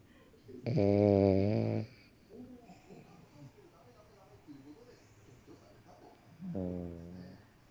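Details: French Bulldog asleep indoors, snoring: two loud, rattling, pulsed snores about five seconds apart, the first lasting over a second, with soft breathing between them in a quiet small room.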